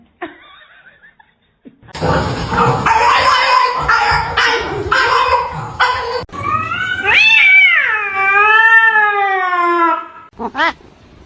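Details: Cat fight indoors: harsh hissing and spitting noise for several seconds, then a loud, drawn-out wavering caterwaul yowl, with a woman scolding the cat nearby.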